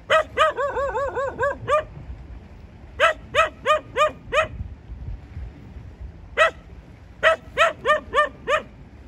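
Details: Dog barking in quick clusters: a fast run of rapid yaps, a pause, a series of five steady barks about half a second apart, then a lone bark and a final burst of six quick barks.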